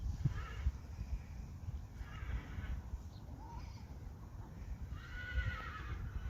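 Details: A herd of Friesian horses, one giving faint, short harmonic whinnies near the start, middle and end over a steady low rumble of outdoor noise.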